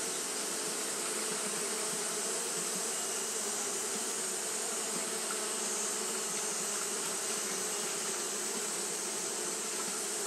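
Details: Fanning Japanese honey bees on a hot day produce a dense, continuous low hum that never pauses, with a steady airy hiss riding above it for the whole stretch.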